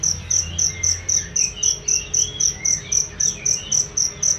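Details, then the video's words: Training sound for songbirds from a cricket, crisp high-pitched chirps pulsing evenly about four times a second, with faint gliding whistles and a low hum beneath. "masteran jangkrik untuk burung"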